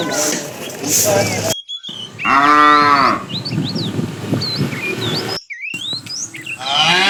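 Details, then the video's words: Tame cattle walking along a road in search of food: a single strong moo lasting about a second, its pitch bowing slightly, then many small birds chirping and twittering, with a second moo beginning at the end. "Funny cow sounds"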